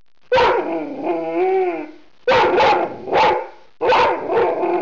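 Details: Indoor Rhodesian Ridgeback during an evening at home as its owner tries to work: a drawn-out, wavering, descending whining howl lasting nearly two seconds, then three loud, sharp barks.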